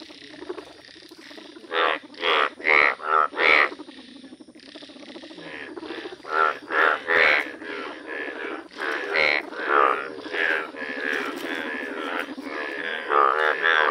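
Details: Yellow Indian bullfrogs in a village, calling in a chorus: loud pulsed, nasal croaks in bursts about every half-second, several calls overlapping, with quieter gaps between bouts and a steady background hum.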